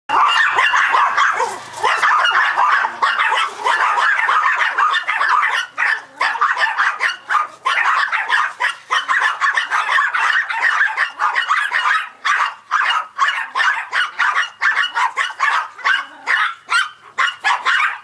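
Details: Several Yorkshire Terriers barking at a remote control truck: rapid, high yappy barks in near-continuous volleys, dense and overlapping throughout with only brief gaps.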